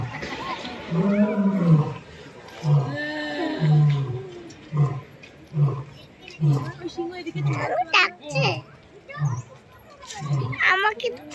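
A lion gives two long, deep moaning roars, then a run of short grunts about every half second.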